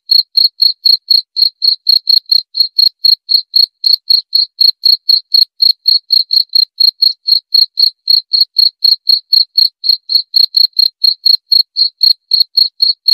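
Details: Continuous cricket song of short, high, ringing chirps repeated about four times a second without a break, each with a faint overtone; evenly paced and clean, no other sounds present.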